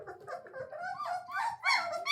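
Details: A Weimaraner puppy in a whelping box, just fed puppy milk and nursed from its mother, gives high, squeaky, rising, wavering complaining whimpers in short bursts while a woman talks softly and littermates squeal faintly.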